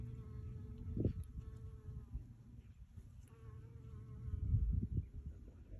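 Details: Honey bee foraging on purple sheep's-bit flowers, giving a low steady droning buzz that swells near the first second and again around four and a half seconds, with faint high tonal lines in the background.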